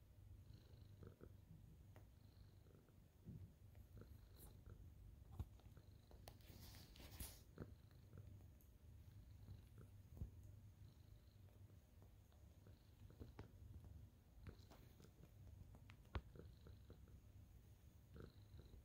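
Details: Purring of a contented senior tabby cat making biscuits after its owner arrives, dated 27 April 2023; long unbroken low rumble, rhythmic pulses, with scattered clicks and a brief rustling burst near the middle.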